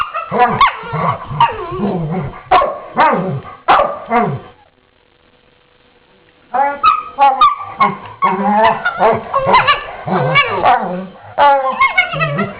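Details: Two dogs playing together in the morning, using quiet 'inside' voices: dense bursts of soft yips, grumbles and short barks, a pause of about two seconds near the middle, then renewed rapid vocalising.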